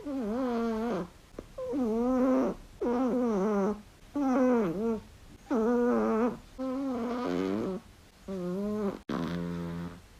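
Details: Flexi, a small Chihuahua that talks with its owner and snores loudly when asleep, makes a steady series of eight low, voiced grumbling moans, one roughly every 1.3 seconds in a breathing rhythm, each wavering in pitch, in a quiet room.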